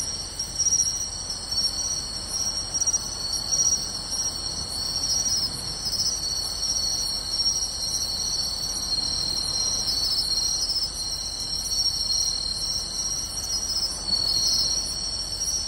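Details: Many insects, pine and bell crickets among them, fill beachside grass with sound on a summer night, Tainai, 24 August 2020: continuous high ringing tones and evenly spaced clicking chirps throughout.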